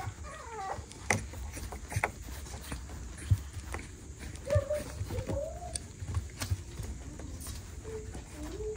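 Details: Six-week-old West Highland White Terrier puppies from Princess Fiona's litter give short, high whimpers and whines that bend up and down, scattered through the clip with gaps between them, over a low indoor rumble and light knocks.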